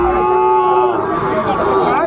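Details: Sahiwal cattle at a livestock market in Sylhet, Bangladesh, on 16 December 2024, where bull calves are sold. A steady, drawn-out moo with layered harmonics lasts about two seconds. Faint market noise sits underneath.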